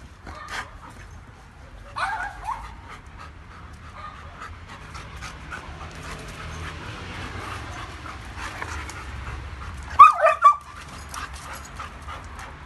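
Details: Tiffany and Thunder, a German Shepherd and a Doberman meeting for the first time and becoming friends; steady rapid panting throughout, with a brief high whimpering whine near the end and faint background voices.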